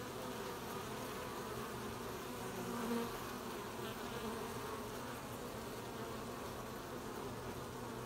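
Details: Honey bees at work gathering honey, 20 July 2020: steady layered buzzing of many bees, with one nearer bee briefly louder and higher-pitched around the middle.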